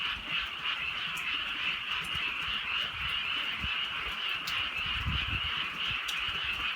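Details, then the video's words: Rural frog chorus on a night of drizzling rain, rapid overlapping trills continuous throughout, accompanied by sharp raindrop taps and low thumping background noise. "개구리 소리"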